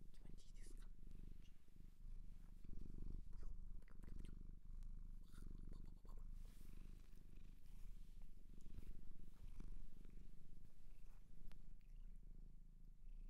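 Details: Shelter cat in Japan giving a deep, unbroken purr that throbs low and steady for the whole stretch, overlaid by soft handling rustles and occasional murmured human speech.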